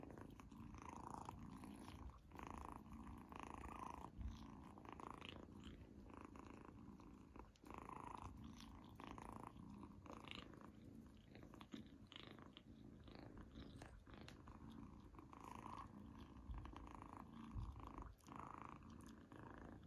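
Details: Izzy, a female kitten, eating a treat for the first time, indoors; a steady low rumbling purr runs throughout, with brief clicky chewing or licking noises breaking in every second or so.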